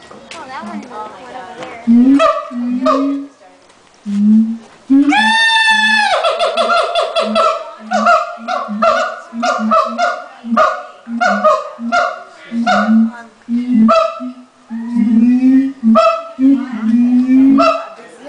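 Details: Siamangs at the LA Zoo call just before lunchtime, with the male taking centre stage: loud, honking barks and a long, swelling whoop, repeated in a rapid series.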